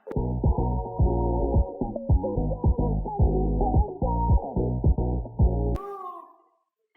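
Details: Electronic dance music with a steady, throbbing bass beat plays for almost six seconds, ends on a ringing note and fades to silence. No animal sounds.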